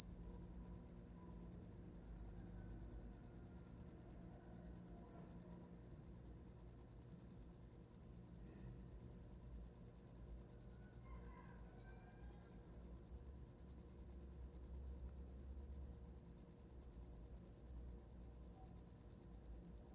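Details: Sleep-time cricket sound: one insect's shrill pulsed chirp repeating about three per second for the whole stretch, steady and unbroken, with faint scattered tones and low hum behind.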